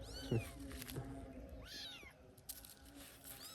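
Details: Cat set upon by dogs makes faint meows, one arched rising-and-falling cry in the middle, amid low rumbling background noise and brief knocks.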